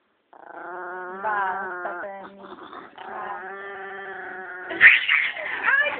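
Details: A Chihuahua called Penny, labelled evil and told to stop, gives a steady grumbling, wavering whine that rises into a louder, harsher cry toward the end.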